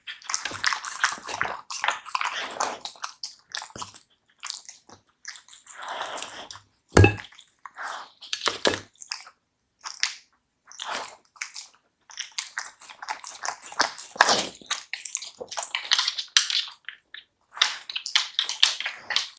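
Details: Samoyed eating raw meat: wet, squishy bites and crunchy chewing in irregular bursts, with short pauses between mouthfuls, indoors.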